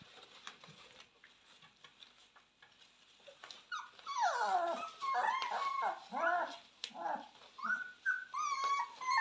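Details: Purebred Cane Corso puppies raised indoors, born 18 October 2022, calling from a small room: quiet background at first, then a chorus of sliding whines and short rising whimpers, overlapping and repeated for the last five seconds.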